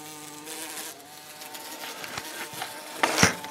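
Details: Bumblebee, a decent-sized and not very aggressive bee, cornered by Butters the cat: a low steady buzz with stacked harmonics fades after the first second, then a sharp clatter near the end, with a person's scolding voice around it.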